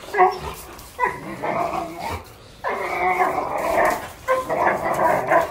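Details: A one-year-old Doberman playing with a six-month-old German Shorthaired Pointer; repeated rough, harmonic growling yowls in four bursts about a second apart, the longest held for over a second.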